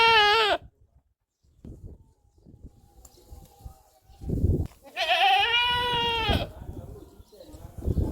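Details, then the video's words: Goat bleating: a short, loud wavering bleat at the start, then a longer, strained, quavering bleat rich in overtones about five seconds in, with low knocks and shuffling noises between. "Goats sound 2023 | Best goat sound in the world 2023"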